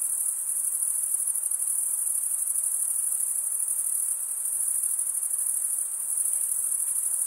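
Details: A chorus of male crickets chirping by wing stridulation: one even, shimmering high-pitched buzz running without pause, no birds or voices audible.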